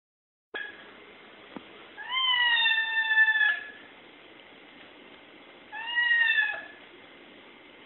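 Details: A domestic cat standing up like a meerkat meows at unseen birds, giving two drawn-out, tonal meows a few seconds apart over a faint steady hum.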